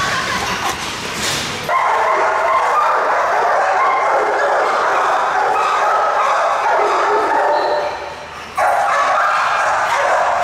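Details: Hewie, a very large super XXL pit bull kept as a pet in Indonesia, barks in loud, dense, sustained bursts lasting several seconds, broken by a short quieter gap, with a little human speech and applause sounds around it.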